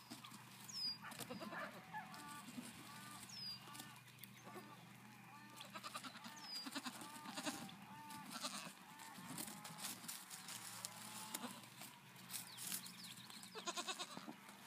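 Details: Young Nigerian Dwarf goats on a farm in Wapato, Washington, recorded 5/8/17, bleating in a run of short arched, nasal calls one after another, while small birds chirp sharply overhead and a low hum continues.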